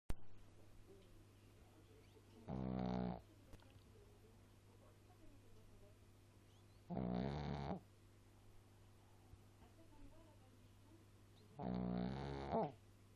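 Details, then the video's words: Small pet dog snoring noisily: three loud, low, rasping harmonic breaths spaced about every four to five seconds, with a steady low hum beneath and quiet pauses between. "chien ronfleur"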